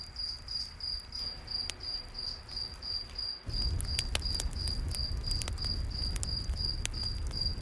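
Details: Night forest crickets chirping by a campfire: a bright, evenly pulsed chirp repeating rapidly, while wood crackles and snaps and a deeper roar of the fire swells up midway.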